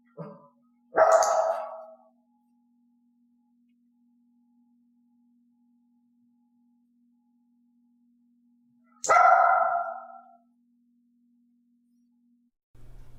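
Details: A dog named Elaine barks during clicker training, offering barks on her own: two loud, piercing, harsh barks about eight seconds apart in a quiet room, with a faint steady hum between them.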